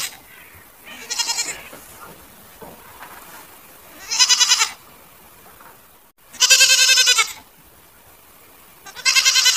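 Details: Goats bleating: four loud, wavering, harmonic-rich bleats of about half a second to a second each, spaced irregularly two to three seconds apart over a quiet background.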